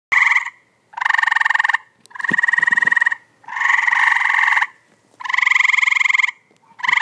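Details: Tree frogs calling in a pool in 2014: loud, harsh pulsed trills with a nasal ring, each burst lasting about a second, separated by short gaps and repeated in a steady series.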